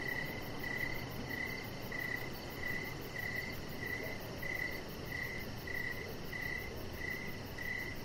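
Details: Crickets in the evening, recorded outside on a deck with a chihuahua puppy lying nearby. Bright chirps pulse at a steady pace of roughly ninety-seven a minute, with a low hiss and rumble beneath them.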